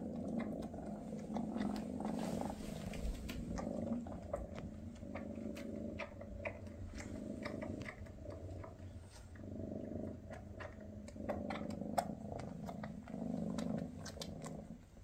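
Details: Maine Coon mother Freya purring with her kittens on their last day together before they move to new homes; a steady low rumbling purr pulsing in waves, with scattered soft clicks and rustles throughout.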